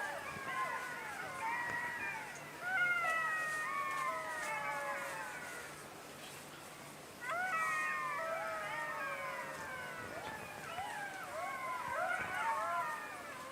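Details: Chorus of jackals giving many wavering, descending wails and yelps that overlap in two bursts, the second starting after a short lull, with faint background hiss.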